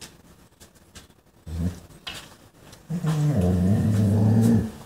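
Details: German Shorthaired Pointer spotting a chipmunk, its first sighting this year, gives a low, rumbling growl that rises into a tense, whining vocalisation.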